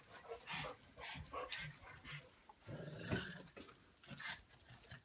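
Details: Buster the pug and Patton the English mastiff play-fighting, giving rough grunting growls and snorts in short bursts, with a person's voice briefly speaking between the scuffles.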